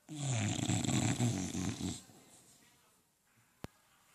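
An English bulldog snores loudly in deep, rattling, rapidly pulsing breaths, then falls quiet.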